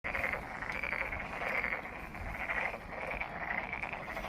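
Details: Frogs calling at Monet's Pond in Ulsan National Garden, South Korea: a dense chorus of rapid, raspy pulsed croaks rising and falling in bursts about once a second, several callers overlapping, with steady low background rumble.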